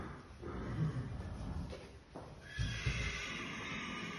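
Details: Irish Draught Sport Horse colt sired by Aye Aye Skipper RID gives a couple of short, rough, breathy vocal bursts about two seconds apart, low and noisy rather than clearly tonal, over a steady background hiss.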